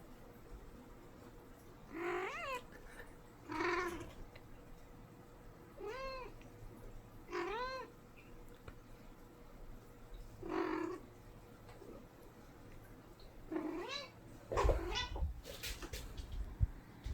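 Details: Talkative pet cat indoors: a series of short, arched, harmonic meows spaced about every two seconds, some chirping and rising, others falling, in a quiet room with a faint steady hum and a few rustling thumps near the end.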